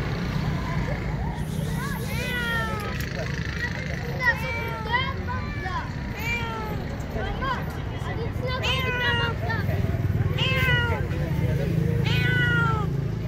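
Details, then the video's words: Hungry stray street cats meowing for food: several short rising-then-falling meows repeated irregularly over steady traffic rumble and background voices. "Heartrending Meows: Witness Stray Cats' Hunger"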